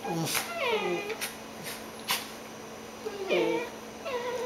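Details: Dachshund and cockapoo, two pet dogs, lying in bed indoors, playful and tired before a morning nap; a series of short sliding whine-moans, each dipping in pitch, about five across a few seconds, with light bumps between.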